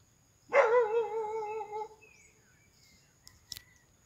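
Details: A long-eared hound bays at game animals while hunting in the Iscuandé forests, giving a single drawn-out, rich, tuneful bay with a slight quaver that holds over a second and trails off, then faint knocks.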